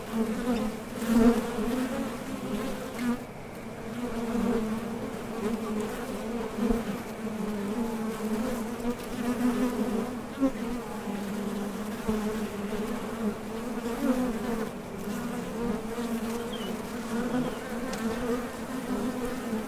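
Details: Honey bees coming and going at a top bar hive entrance while foraging for nectar; continuous dense low hum of many wingbeats, fairly even in loudness with small swells throughout.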